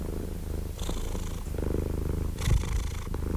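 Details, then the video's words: Brief stretch of a domestic cat's low, rumbling purr, softer and less regular here, with a couple of faint breathy rustles over the drone. "Purring Cat"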